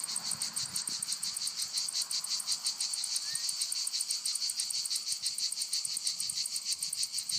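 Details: Cicadas in lavender fields in Provence, France: a dense, steady buzzing chorus with bright bands around four and eight kilohertz, pulsing rapidly about three times a second without pause, faint low rumble beneath.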